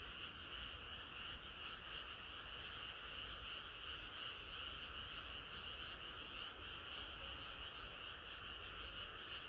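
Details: Numerous frogs singing on a hot summer night, their rapid croaks blending into a steady pulsing drone, uneven in rhythm, over a soft low rumble.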